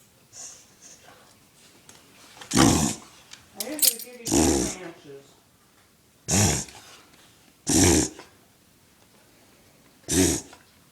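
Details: Male dog in a reverse-sneeze fit, compared by its owner to a rhino: five coarse, breathy snorts spaced one to two seconds apart, with brief human speech between the second and third.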